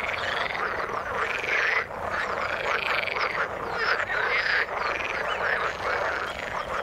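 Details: Many frogs croaking in the water, rhythmic buzzy pulsed calls arching up and down in roughly one-second bouts, with a brief dip in the chorus near the two-second mark.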